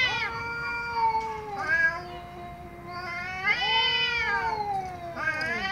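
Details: Angry cat meowing loudly, with long bright yowls that rise sharply and sag at the end, separated by short gaps; the harmonics are strong and the calls are drawn out and insistent.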